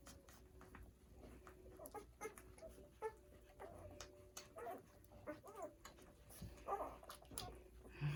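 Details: Newborn poodle puppies on their first day of life, nursing indoors as they align to feed; faint high squeaks and soft whimpers come in short rising and falling bursts over low background rumble.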